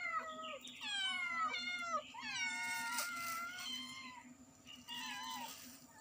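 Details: Kittens and their mother cat meowing loudly in quick succession, high harmonic mews that bend down at the end, several voices overlapping, with a low constant hum underneath.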